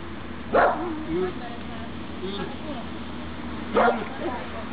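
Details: Dog during obedience practice, recorded 23 June 2012: two short, sharp barks about three seconds apart. A person's soft voice murmurs between them over a steady low hum.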